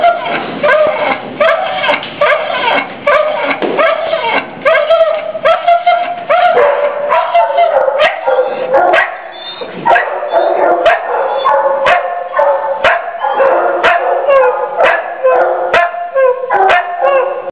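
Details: Noel, a female pit bull mix held in a cage at Mahoning County Dog Pound, Youngstown, Ohio, January 2014, cries in distress: a continuous run of wavering whines and yelps, broken by sharp clicks and knocks.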